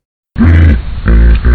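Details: Common hippopotamus, a third individual's wheeze honk, a call that is individualized for each hippo; abrupt deep, loud honking bursts in two pulses after a brief silence.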